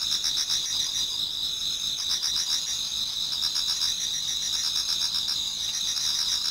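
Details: Numerous insects singing in a Japanese garden as autumn night turns to dawn, a constant high shimmering trill chorus with intermittent clusters of rapid lower chirps roughly every second or two.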